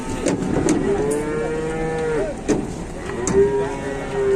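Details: Cattle trapped in a truck at an Indonesian livestock market, four animals inside: a long, steady, tonal moo with stacked harmonics holding for over a second, then a second moo near the end, with clatter and crowd noise behind.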